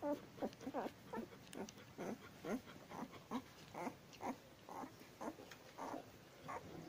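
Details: Ten-day-old Labrador Retriever puppies giving soft, rhythmic grunting squeaks, short rising-falling calls repeated about every half second in a quiet room.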